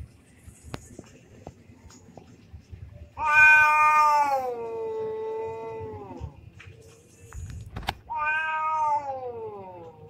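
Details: Domestic cats fighting, an orange cat among them: two long harmonic yowls, the first wavering then sliding down over about three seconds, the second shorter after a pause, with faint background noise between.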